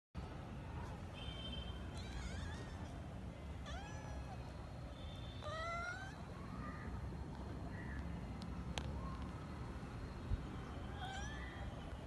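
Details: A kitten meows repeatedly, calling her father to play while he wants to sleep; rising then falling mewing cries come every second or two over a steady low background hum.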